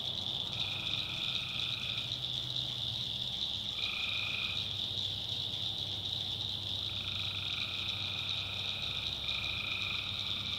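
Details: Tree frogs at night in a backwoods swamp of North Carolina: a constant high-pitched chorus over a low rumbling hum, broken by repeated lower buzzing trills, each one to two seconds long, several in a row.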